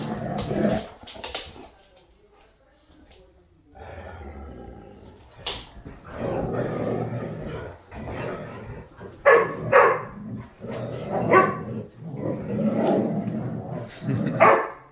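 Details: Four huskies fighting make a rough stretch of snarling growls broken by sharp barks and yelps. The sounds come in rising and falling bursts, with brief quieter gaps between the scuffles.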